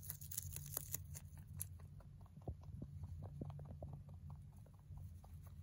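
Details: Pet male mini rabbit munching hay, producing fast sharp crunches, denser and brighter in the first second and a half, then softer rhythmic nibbling over a constant low droning hum.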